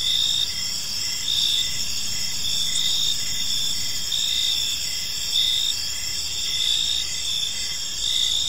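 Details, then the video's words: In a calm park at evening, many crickets trill together in high, continuous, overlapping tones, punctuated by rapid evenly spaced chirps and occasional louder surges, with soft low-frequency background noise underneath. "Park Serenade: Cricket Sounds in a Peaceful Park | Evening Ambience"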